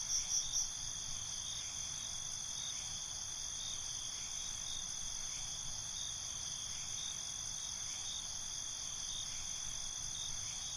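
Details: Night-time crickets form a continuous, dense, high trilling drone of several layered tones, opening with a short burst of quick louder chirps before settling into an even chorus.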